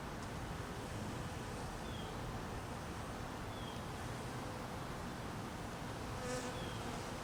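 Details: Cold-weather honey bees being fed, humming in a thick, even buzz that holds steady, with a few faint brief high chirps drifting above.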